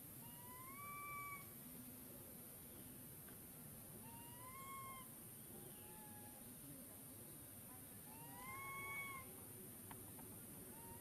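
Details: Young monkey and its mother seeking wild fruits at the treetop; a series of clear, rising whistle-like coos with harmonics, some in quick pairs, repeated every couple of seconds above a steady hiss.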